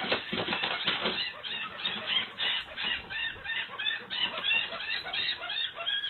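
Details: Mouse with its leg caught in a trap, freaking out and screaming, its cries likened to a monkey's; a replayed recording of dense, harsh, repeated squealing shrieks in rapid irregular bursts with no deep tones.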